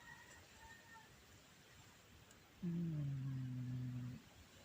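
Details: Shakirah, a pet cat, snoring loudly, recorded on a Samsung Galaxy A10s phone: a single low, droning, harmonic snore lasting about a second and a half, following a quiet stretch with faint background hum.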